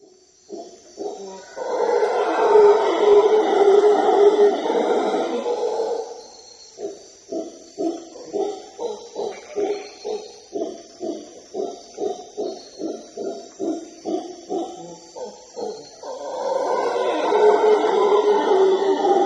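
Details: Howler monkeys roar deeply from deep in the jungle beside the Palenque archaeological site in Chiapas, Mexico, with long rumbling, dinosaur-like bouts broken by rhythmic pulsing grunts.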